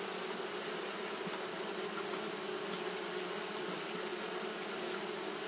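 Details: A continuous low hum from Japanese honey bees fanning in hot weather. The drone stays level and unchanging beneath a persistent shrill hiss.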